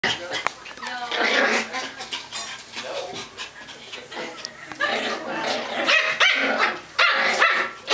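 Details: Excited Pomeranian puppy giving sharp, high yipping barks in quick irregular bursts, with human speech mixed in.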